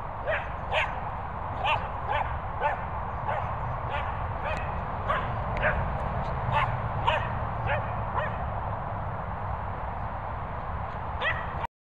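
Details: A Cockapoo and a Labrador whining together, giving a long busy run of short, repeated high yips and whimpers roughly every half second. Some voices are faintly audible underneath, with a constant low rumble.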